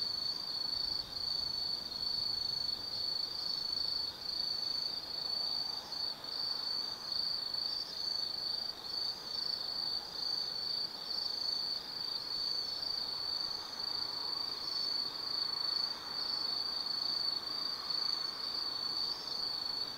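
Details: Autumn night insects singing in the Tsukimi Forest, Kaizu, Gifu, Japan, overlooking the lit Nobi Plain from 180 m; an unbroken high ringing trill, gently pulsed, runs throughout with faint lower chirps beneath.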